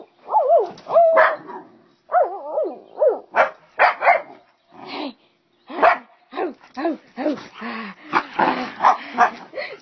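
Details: Pet dog in a playful barking session with its owner: rapid bursts of high yelping barks and bending whiny yips, some in quick runs, one short lull midway, with the owner's voice between.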